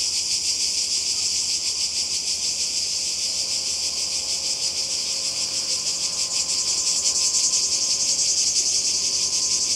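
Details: Summer cicadas on the Croatian coast in 2020, a ceaseless high rasping drone with regular throbbing pulses, growing a little louder toward the end, with a faint low tone in the background.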